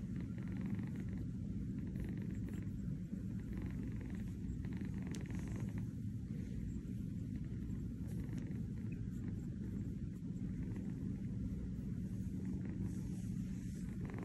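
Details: Kitten dozing on a fuzzy bed in New York gives a low continuous rumbling purr, steady and buzzy, with faint soft pulses above it.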